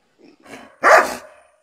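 A dog gives a single sharp, loud bark after a softer lead-in of low grumbling sounds.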